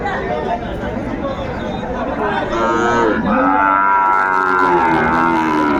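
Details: Sahiwal bull calf lowing at Ambari haat on 13 January 2025: a sustained, slightly falling moo rises out of the crowd noise in the second half, with traders talking loudly throughout.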